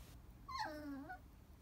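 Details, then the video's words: Chihuahua crying, a single high whimper that slides steadily downward in pitch over about three-quarters of a second, then fades into quiet room noise. "Chihuahua so cute cry baby"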